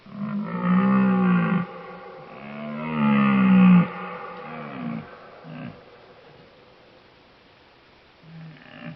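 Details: Bear: two drawn-out, moaning, harmonic bawls, each about 1.5 seconds with a slight rise and fall, followed by softer, shorter grunting moans that fade over the rest of the recording.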